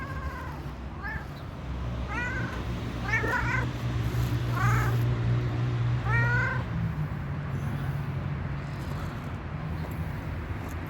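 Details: Stray cat resting and asking for food and care, with six loud, drawn-out, slightly wailing meows in quick succession over about five seconds, then quiet with low rumbling background noise.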